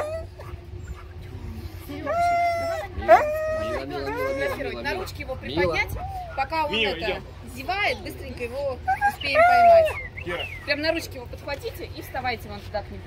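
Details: Siberian Husky at a Russian mountain kennel housing 51 huskies with puppies, called an opera singer: wavering, sliding yodel-like howls in short rising and falling phrases, mixed with other dogs' whines and a person talking over them.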